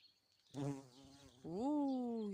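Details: A bumblebee on lilac blossoms on a warm evening in a garden gives a steady, low droning buzz, followed by a person speaking.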